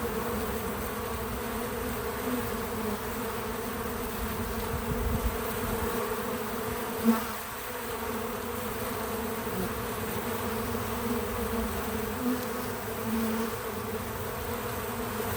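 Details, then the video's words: Bees visiting a feeder, wings producing a steady low hum with harmonic bands, unbroken throughout, one brief louder thump near the middle; no music or narration. "Bees in Slow Motion at the Feeder 🐝 | Natural Buzzing Sounds"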